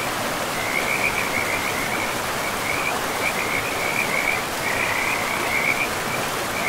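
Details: Frogs calling beside a river in a pristine forest: short, mid-high trilled bursts repeat almost continuously in a steady chorus, laid over the constant broad rush of flowing water.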